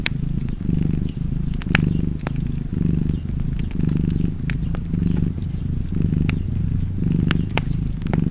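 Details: Steady purring of a cat, a buzzing low rumble that waxes and wanes in regular breaths, overlaid by crisp pops and snaps of a burning fire.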